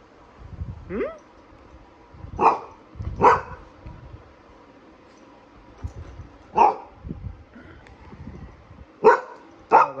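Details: Nero the Golden Retriever, restless for a walk, yips and barks repeatedly, six or so sharp barks scattered across the stretch, some in close pairs, with a rising whine at the start.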